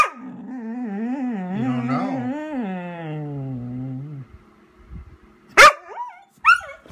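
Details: A Vizsla named Chica calls out while waiting for her owner, a long wavering howl-like whine lasting about four seconds, sliding up and down in pitch, followed by two sharp short barks.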